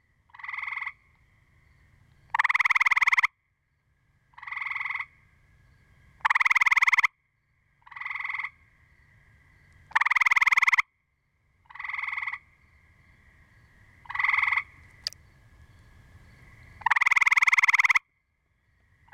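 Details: Chorus of gray treefrogs alternating calls: a quieter half-second pulsed trill answered by a louder, longer buzzy trill, repeating roughly every two to three seconds, with a faint low rumble between calls.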